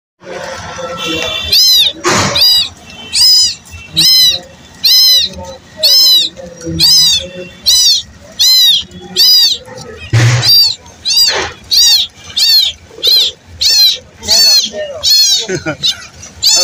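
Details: Baby cat calling its mother in a village setting: rapid, high-pitched arching meows repeated more than once a second, with a few sharp knocks and faint background voices.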